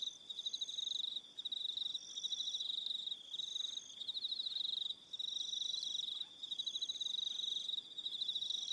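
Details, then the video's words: Several crickets calling in the evening on Aroha Island, New Zealand; bright rapid trills in repeated phrases of about a second, separated by short gaps, with faint higher chirps overlapping. "1 Hour Relaxing Evening Sound of Crickets"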